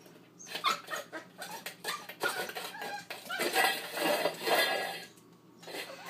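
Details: An eight-week-old husky/poodle cross, a female pup busy with her dish, lets out a run of rough, rapid, uneven barks and growly yips, mixed with clinking of the dish.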